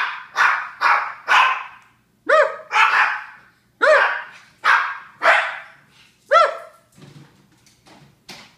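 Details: Several Japanese Chins bark in a rapid, uneven volley of harsh yaps mixed with clearer, higher tonal yelps, fading into softer whimpering noises near the end.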